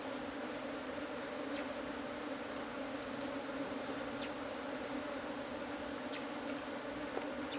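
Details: Asian honey bees (cavity-nesting) during the harvesting of their hive: a steady, dense, low buzzing hum with stable tonal bands, continuous throughout, with a few faint clicks and taps above.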